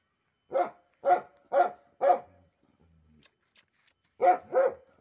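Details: Pit Bull, one of a pet pair, likely Simba, barking indoors in a small room: four sharp, evenly spaced barks, a short pause with faint snuffling, then two more quick barks.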